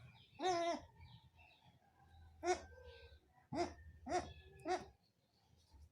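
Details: Goat scene with a doe giving birth for the first time, not yet able to nurse her kid while being taught: five harmonic, wavering bleats, one long then four short ones spaced about a second apart, faint low rumble between.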